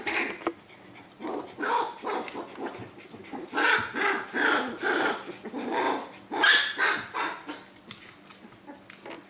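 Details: Australian Terrier puppies at four weeks old, socialized by a breeder at Dunham Lake Aussies, giving a series of high yappy barks and yips in irregular bursts, several per second at times, indoors.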